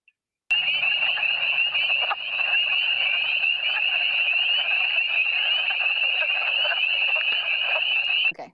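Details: In spring, a dense breeding chorus of hundreds of male spring peepers packed into a small area calls to attract mates, giving countless shrill, high peeps blending into one persistent ringing wall of sound.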